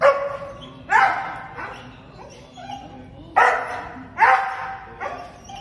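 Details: Zeeke, a six-year-old male Border Collie, jumps around and gives sharp, excited barks in bursts, greeting his owner after weeks apart in a parking lot in Bangkok, Thailand, on May 23.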